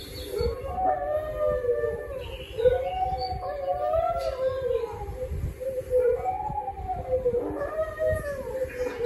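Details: Domestic dog howls in undulating, somewhat wavering phrases that rise and dip repeatedly, a continuous mournful line with short breaks, over a low steady hum.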